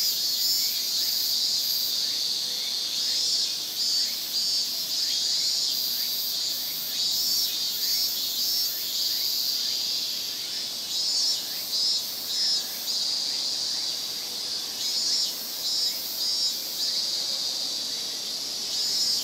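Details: Massed Japanese cicadas in a Japanese summer chorus, a constant piercing high buzz overlaid with rapid pulsing notes that rise and fade in repeated bursts.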